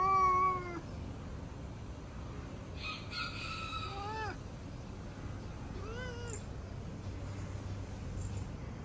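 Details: Mocha, a male cat in fighting mode at the sight of other cats, gives a loud opening meow, then two shorter complaining meows that bend upward at the end, spaced a few seconds apart over low hum.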